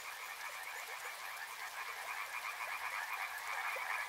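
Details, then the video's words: A crowded chorus of frogs at a river, with rapid, overlapping croaks packed tightly together. The higher band grows louder and more scratchy toward the end. "Soothing sounds of river and frogs"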